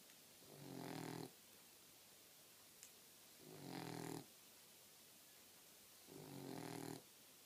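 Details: Fast asleep four-month-old female Boxer puppy. Three rattling inhaled snores, each swelling over about three quarters of a second, repeat every two and a half to three seconds with quiet breathing gaps and a faint click between.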